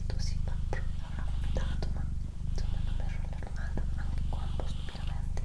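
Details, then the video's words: Indoors, the female cat Doroti gives a strong, deep, steady purr with a couple of short pauses for breath, accompanied by soft whispering and scattered small clicks. "ASMR Cat Purring & Whispering"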